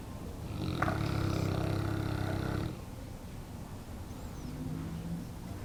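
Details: Neapolitan Mastiff named Brego, almost one year old, asleep and snoring: a loud, rough, low rattling snore of about two seconds, followed by quieter breathing and a faint low hum.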